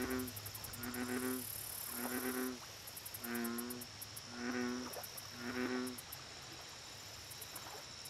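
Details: American bullfrog by a lake giving six deep, throbbing, pulsed croaks in a row, roughly one per second, over a constant high-pitched insect drone and faint ticking.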